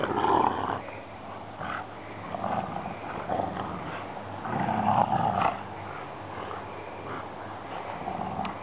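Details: Brother and sister Rottweilers growl in rough, rumbling, guttural bursts while play-fighting over a rope in tug-of-war.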